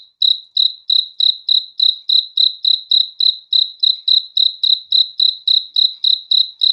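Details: Nighttime cricket giving an unbroken train of shrill, evenly spaced chirps, roughly three or four each second, all at the same high pitch with no other sounds around.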